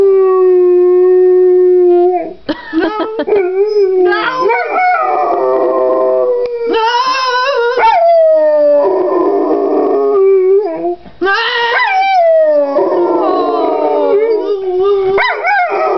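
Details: A pit bull and boxer mix dog singing the blues like a hound; long wavering howls that slide up and down, broken by short yips and whimpering breaks, sometimes rising to higher wails.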